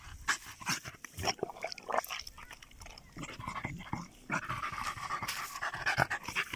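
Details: German Jagdterrier dog in +45°C heat, breathing in quick, breathy, uneven puffs with scattered clicks and rustling around it.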